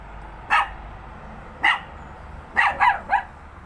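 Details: Pet dog barking at nothing: sharp single barks at about half a second and 1.6 seconds, then a quick run of three barks near the end, over a quiet background.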